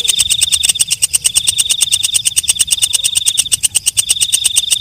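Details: Walang kecek katydid producing a fast, regular train of sharp clicks, roughly three per second, layered on a thin unbroken high-pitched whine.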